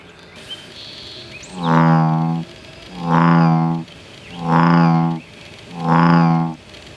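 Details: Male American bullfrogs defending their territory: four deep, droning, harmonic calls, each under a second long and repeated roughly every 1.4 seconds over a quiet low background hum.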